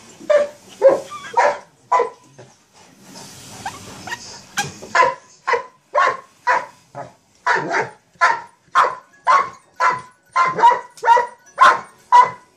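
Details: Mastiff barking while playing with a sock monkey jack-in-the-box: a few barks, a short hissing toy noise, then a long, even string of deep woofs about two per second.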